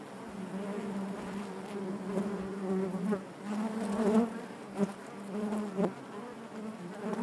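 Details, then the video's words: Honey bees humming in their hive: an even low buzz with harmonic layers, gently swelling, punctuated by a few brief louder buzzes from bees passing nearby. "bees therapy hive natural buzzing sound"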